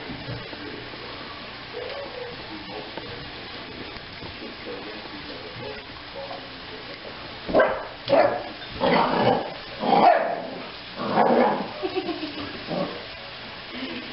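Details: Janet, a pup cared for by HART animal relief, lets out a burst of five or six rapid barks after several seconds of quiet low background sound.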